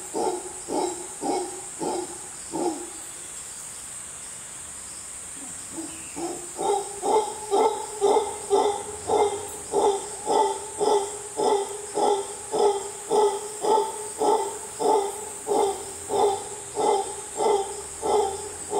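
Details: A mantled howler monkey howls loudly in the Costa Rican jungle, deep, guttural roaring pulses repeated about twice a second.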